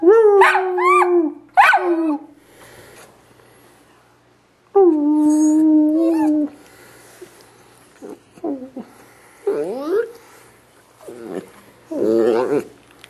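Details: A Dachshund gives a couple of short howls, a quiet gap, then a longer sustained howl, followed by a series of brief rising yelps and wavering whines.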